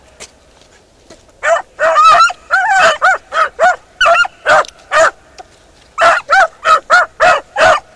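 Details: Beagle Harrier in a ploughed field with bursts of excited, partly overlapping barks and higher yelps, then a steady run of evenly spaced ringing barks.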